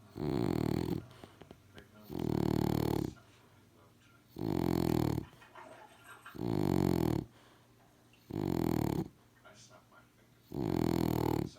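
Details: Sleeping French Bulldog from 2018 giving six heavy, rasping snores at a steady pace of roughly one every two seconds, each a buzzy rumble with a faint whistle on the end, separated by near silence.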